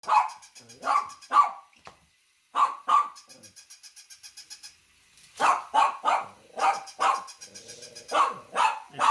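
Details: A small Shih Tzu–Yorkie mix dog barks in sharp, loud bursts, pausing briefly between runs of barking.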